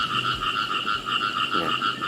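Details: Khiat i mo frogs calling in a natural, pesticide-free rice field: a steady chorus of rapid pulsed croaks, two bright bands stacked one over the other, rolling on without a break, with faint low rumbling beneath.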